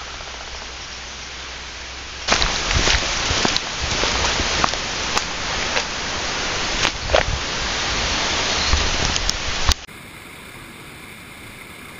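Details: Steady broadband rushing like rain or falling water, with scattered sharp clicks, that cuts abruptly to a quieter hum near the end.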